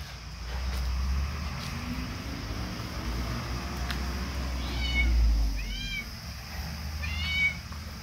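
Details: Kittens give thin, high mews, a cluster of short arched calls arriving in three bursts toward the end, over a steady low hum and faint background rumble.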